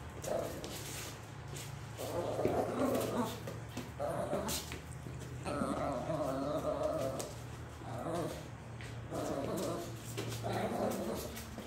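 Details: Miniature Pinscher playing with a ball, giving low rough growling bursts in short runs of about a second, separated by brief pauses, over a steady low electrical hum.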